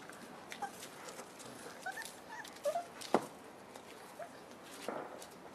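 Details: Five-week-old puppies from the litter of Cleo and Wolf, indoors with their mother: faint, thin whimpering squeaks that rise and fall in short tonal slides, scattered through the stretch among soft shuffling and clicking noises.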